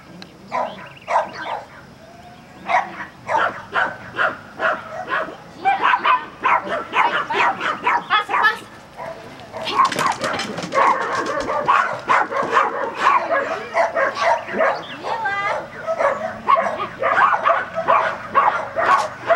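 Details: Border Collie barking during agility training at Vale do Sol, Guapimirim: quick, sharp barks repeated about twice a second in long runs, with brief pauses, while people talk nearby.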